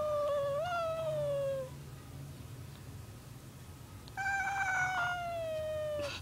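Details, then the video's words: Sleeping cat meowing as he dreams, giving two long tonal meows, the first rising then sliding downward, the second steady and slightly falling, separated by a quiet pause over a low background hum. "Meowing Dreaming Cat"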